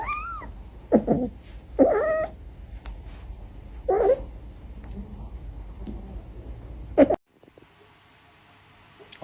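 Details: Kitten making four short, mid-pitched mewing calls spread over about seven seconds, with quiet room background and near silence afterward.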